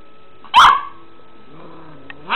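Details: Three-month-old puppy frightened by a cat toy lets out one loud, sharp bark, then a soft low wavering tone, and a second bark begins just as the recording ends.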